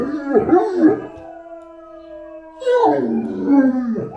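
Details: A Great Dane, Anúbis, opens with wavering yips, then holds a flat, sustained howl for over a second before a loud, descending, quavering howl.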